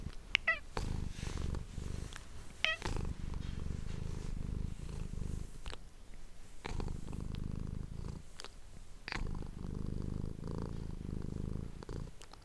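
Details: Domestic cat purring indoors, recorded close with an ASMR microphone: a low rumbling purr in repeated bursts of about one to two seconds with short breaks, plus a few sharp clicks and rustles.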